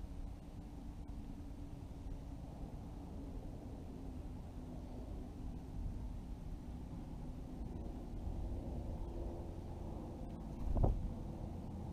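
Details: Only a steady low rumble like distant traffic or wind, with one brief knock near the end and no animal voice.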